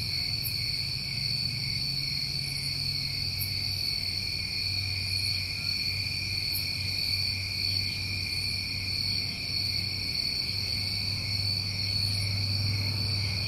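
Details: A continuous chorus of summer crickets in New England, two layered high-pitched trills droning without pause, while a low steady hum drifts in and out beneath them.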